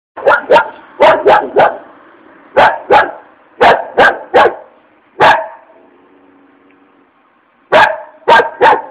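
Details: Angry dog barking furiously in irregular bursts of two or three sharp barks, with a short pause of faint low growling midway.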